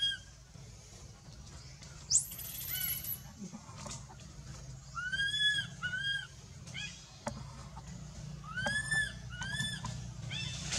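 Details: Frightened baby monkey Anissa, kept by the monkey Aron, cries out for her mother with one sharp high rising shriek, then a series of short arched harmonic calls in pairs and clusters, against steady low background noise.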